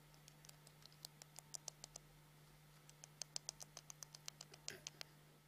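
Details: Rapid dry clicking as a hamster chatters its teeth in a small room, two bursts of tight, crisp ticks separated by a short pause, with a constant low hum underneath.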